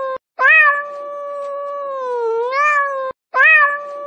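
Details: One long cat meow lasting nearly three seconds: a sharp rising start, a long even middle, a dip, then a rising wail at the end. A new meow begins right after a short pause, with a quiet background.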